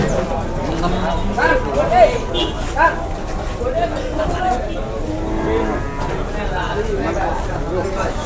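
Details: Cattle at the Muntilan livestock market in Indonesia, jumbo animals brought in for weighing: a few short, rising moos amid steady crowd chatter and talking.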